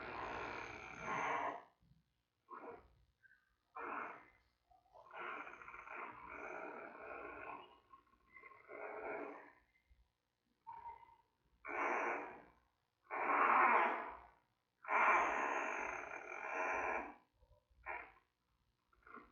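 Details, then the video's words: Giant panda cub, about three weeks old, in the den at the Smithsonian's National Zoo with mother Mei. A long series of uneven hoarse squawks and short croaks, some loud and drawn out, separated by brief pauses. "Mei-Baby Watch: Mei Checking around the den & Baby Making Sounds, Day 22 & Day 23."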